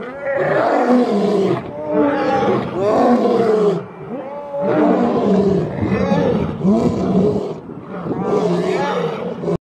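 Male lions roar in loud, deep, throaty bursts, each about a second and a half long.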